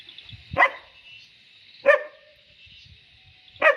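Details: German Shepherd puppy during training; three sharp barks about 1.3 seconds apart over a steady high hum.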